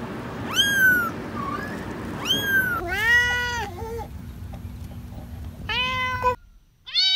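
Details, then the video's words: Several kitten meows of varied pitch, some high and arched, others lower and drawn-out, overlapping at times against a steady low hum that cuts off near the end. "Cats Meowing – Kittens Meowing Video – Cute Kitten Meowing Videos – Funny Cat Meows"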